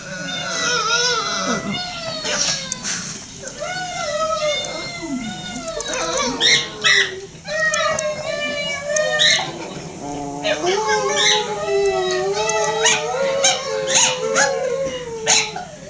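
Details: Howling along to footage of herself, Shelby the dog produces wavering, quavering howls that bend up and down, with overlapping voices layering into a warbling chorus throughout.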